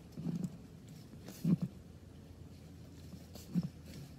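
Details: Male Russian tortoise, Huggy Bear, vocalising while mating with the female Hutch in spring; three short, low, squeaky grunts spaced about a second or two apart over a faint steady background hum.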